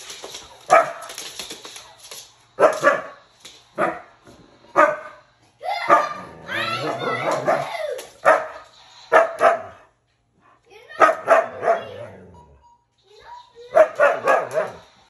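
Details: Pet Siberian Husky reacting to laser gun play, as it does every time the game is played. It gives repeated short, harsh yowls and bark bursts and one long, wavering, howl-like vocalisation, with pauses between outbursts.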